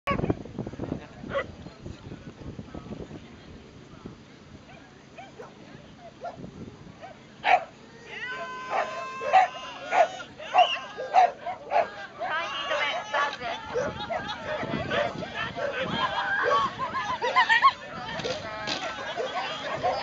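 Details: Dogs at a flyball race, heat three of the 2011 Kanagawa block competition in Japan, bark in sharp repeated bursts amid crowd chatter, shouting and cheering, with a run of evenly spaced loud barks in the middle.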